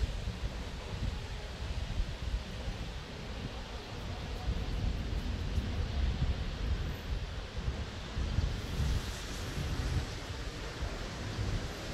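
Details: Steady roaring wind and rain noise outdoors fills the whole stretch, with no animal voice heard.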